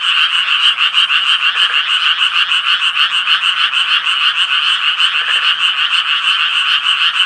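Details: Japanese tree frog chorus, quick rasping croaks about three per second merging into a steady throbbing buzz, with a couple of faint lower calls from other frogs underneath.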